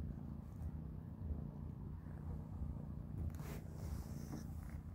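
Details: Three kittens, Panda, Grayie and Goldie, eating a big dinner of cat beans; a soft, low, steady purring rumble runs throughout, with a brief burst of crunching or rustling noise past the three-second mark.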